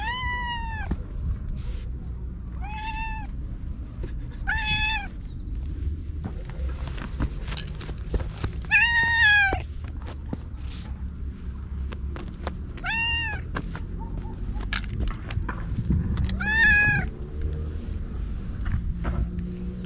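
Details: Orange tabby stray cat "talking" in cat language while rubbing against a person, filmed outdoors on a GoPro; six clear arched meows spaced two to four seconds apart over low rumbling background noise and clicks.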